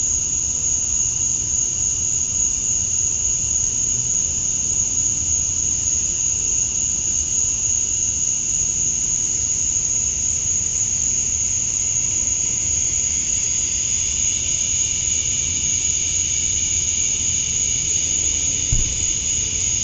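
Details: Evening chorus of male cicadas in Georgia, USA, on a summer night, calling for females: an even, piercing high hum that swells slightly in its lower band near the end, ending with one faint thump.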